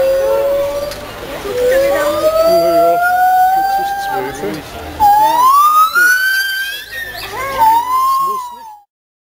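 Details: White-handed gibbons singing at a zoo in June 2011: long, pure, siren-like hoots that slide steadily upward in pitch.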